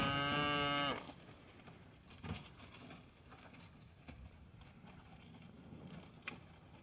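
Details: Hereford cows, females, eating corn and gluten feed in the snow on a crisp, clear winter day in Mohawk, Tennessee; one deep, harmonic moo lasting about a second opens the clip, followed by quiet outdoor background with soft knocks.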